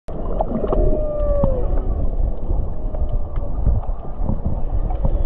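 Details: Off Maui, Hawaii, humpback whale song carries faintly through the water while a green sea turtle swims: a drawn-out, wavering moan gliding down in pitch with a fainter overtone, over constant low underwater rumbling and gurgling.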